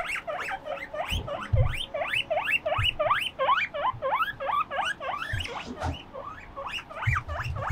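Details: Two pet guinea pigs, Moruhei and Mokohei, playing on a balcony; dense overlapping rising wheeks, roughly three per second, with occasional low thumps and knocks from movement.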